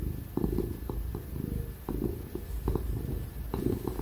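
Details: Ginger domestic cat purring contentedly as it gets pats and cuddles; deep continuous rumble rising and falling with each breath, soft ticking sounds on top, laptop computer fan humming in the background.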